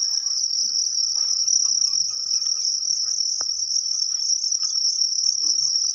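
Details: Thai farmed crickets at the egg-laying stage, ready for sale: steady piercing high trill without pause for six seconds, with occasional faint knocks and rustling.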